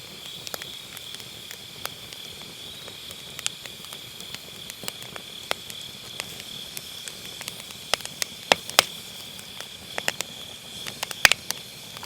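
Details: Autumn-night grass insects trilling continuously at a high, even pitch beside a crackling wood fire in a round fire pit; irregular snapping pops of firewood come every few seconds, captured on an MKE600 microphone with low-cut.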